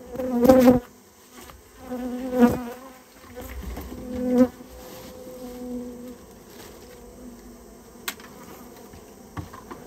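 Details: Japanese honey bees being cleared from a nest inside a storehouse: loud, short bursts of buzzing about every two seconds, mixed with handling knocks, then a quieter lingering hum and a few clicks.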